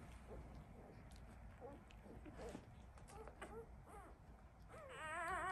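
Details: One-week-old Labrador Retriever puppies giving a string of short soft squeaks and yelps, ending in a louder wavering, quavering whine; constant low background hum.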